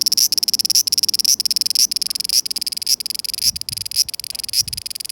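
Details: In summer 2020 a cicada sings in Japan, fast throbbing buzzy pulses in repeated phrases about every half second, each ending with a slight upward twist, steady hum behind.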